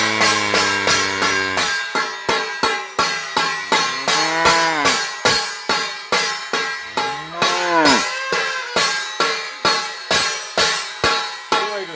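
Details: Rhythmic music with plucked strings and tambourine-like percussion; no animal voice is heard. Sharp regular beats and bright jingling carry the tune throughout.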